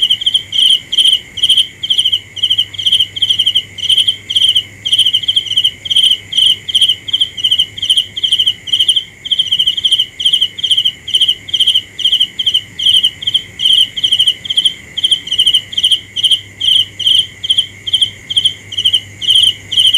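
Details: Cricket calling through the night, a long run of quick pulsed chirps at a steady pace of about two per second, backed by a continuous low insect hum.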